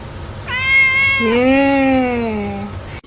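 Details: Domestic cat giving one long meow, opening on a higher note, then dropping into a drawn-out, slightly wavering lower tone that fades over about two seconds, with a low background hum.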